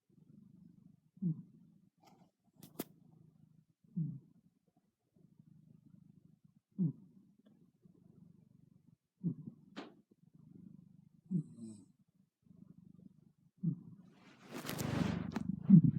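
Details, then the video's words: A sleeping kitty snoring indoors: low, soft rasping breaths recur every two to three seconds in a steady rhythm. A louder broad rustling noise comes near the end. "Snoring kitty"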